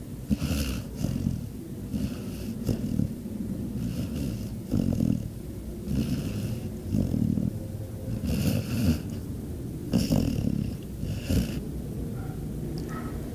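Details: Naia, a pet dog, fast asleep and snoring: low, rough rumbling breaths repeating roughly every one to two seconds, with some breathier, wheezy bursts, in a quiet room.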